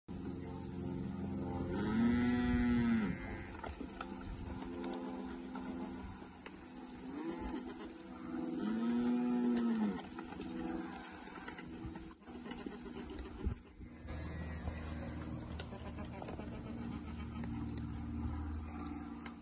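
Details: Nelore x Aberdeen Angus crossbred calves in the Porto Ferreira region, São Paulo, Brazil; two drawn-out, mid-pitched moos a few seconds apart, a fainter one between them, over low background noise.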